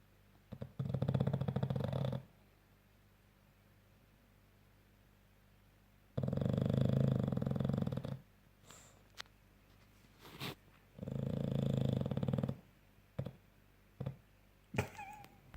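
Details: Deep, throaty snoring from a French bulldog. Three rattling low breaths come about every five seconds with quiet stretches between, and short clicks and rustles follow near the end.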